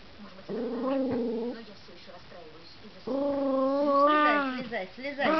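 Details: Russian toy terrier recorded indoors in December 2012, whining in two drawn-out, tonal, wavering cries, the second longer and rising at the end, with a man speaking nearby.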